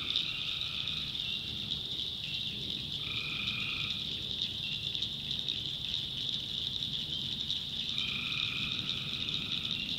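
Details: Tree frogs calling at night in a North Carolina backwoods swamp: a dense, steady high-pitched trill fills the background while lower nasal calls of about a second break in at the start, around three seconds and near eight seconds.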